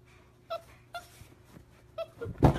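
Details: A Labrador Retriever that loses its balance gives brief, high whining yelps, followed by a loud thump.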